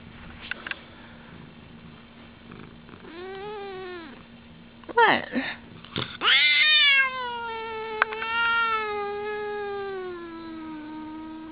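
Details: Pet cat, a female, making odd noises indoors while licking her foot: a drawn-out harmonic moan sliding slowly downward after sharp broken chirps and short wavering cries, with a steady low electrical hum underneath.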